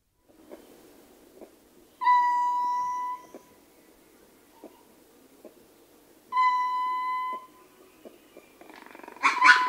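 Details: Male ring-tailed lemur in a troop, recorded close up, giving two steady, pure-toned howling calls about a second long, spaced roughly four seconds apart. Soft clicks and a brief noisy burst from other troop members come at the end.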